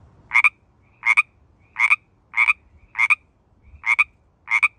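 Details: Pacific tree frog calling in mating season in the San Francisco Bay Area: loud, clean two-part ribbits, each a quick double note, repeated about every 0.7 seconds against a quiet background.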